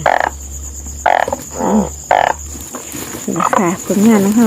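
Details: Frogs locally called oeng phao and oeng yang croak in a dense chorus of low, nasal, wavering calls, with sharp broadband knocks roughly once a second and a steady high electrical whine behind them.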